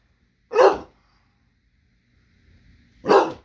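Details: Small dog indoors that won't share its food, giving two short loud barks about two and a half seconds apart, with quiet low grumbling between them in a small room.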